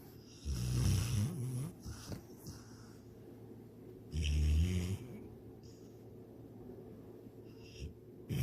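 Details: A sleeping dog named Sydney, dreaming she chases a rabbit and swims in a lake, gives rough, rattling snores about four seconds apart, each a short low grumble with soft breathy sounds between.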